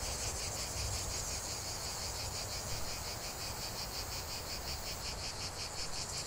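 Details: Chorus of cicadas producing a steady, high buzzing drone with regular rapid pulses, unchanging in loudness over the whole stretch, over faint low-pitched background noise.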